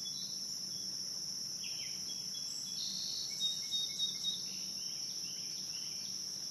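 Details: A high, even cicada drone fills a riverside night at Morning View on the Licking River, with scattered faint descending chirps and a few soft louder notes in the middle.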